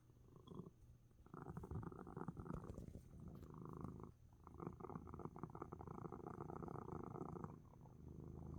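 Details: Coco, a domestic cat, purrs hard and relaxes despite sneezing, the deep throbbing purr running in rhythmic bursts separated by brief pauses for breath, strong and continuous across the recording.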